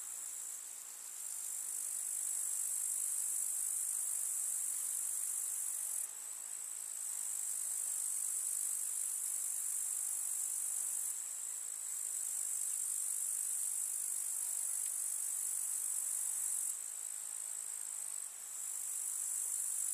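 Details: In a countryside summer meadow, grasshoppers keep up a bright, high-pitched rasping buzz, continuous for long stretches with short dips in loudness where one caller pauses before resuming.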